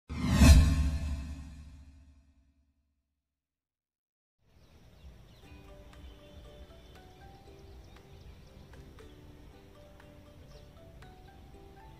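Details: A loud low whoosh fades into two seconds of silence, followed by soft, steady tonal music with no animal voice.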